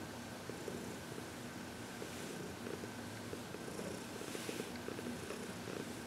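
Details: Quiet, continuous low purring from Heidi, a happy 14-year-old shelter-adopted cat from the Humane Society of New York City, relaxed under massage and reiki on February 22, 2021, with faint hissing handling noise over it.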